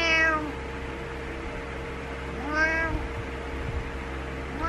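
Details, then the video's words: Morning wake-up meows from Butters, a domestic cat pestering its owner: a meow at the start, a fuller rising-then-falling one midway, and another beginning at the end, against background hum. "Frustrated Morning Meows"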